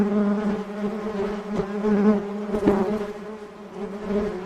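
A dense, steady hum from a mass of honey bees in flight, low and droning with a slight waver.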